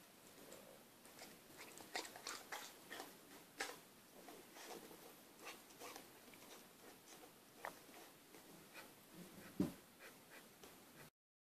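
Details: Female Akita puppy, six months old, chewing a sticky chocolate eclair indoors: a run of fast, uneven mouth clicks and smacks, with one louder snap near the end before silence.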